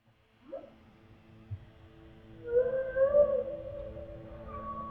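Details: Humpback whale song from NOAA underwater ocean recordings: a short upsweeping note, then a long, drawn-out moaning tone with a higher, level whistle above it, in a quiet underwater background.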